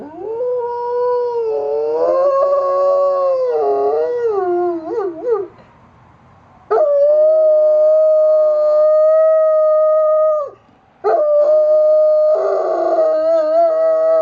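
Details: Domestic dog howling at sirens, recorded in October 2009 in Austin, Texas: long, sustained tonal howls with wavering, bending pitch, broken by two short silent gaps, later holding steadier on a level note.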